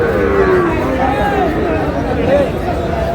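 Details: Sahiwal bull calves at the Monday Ranigonj cattle market in Dinajpur district, Bangladesh, 4 March: a drawn-out, falling low moo and a short rising bellow, under market chatter and a man talking.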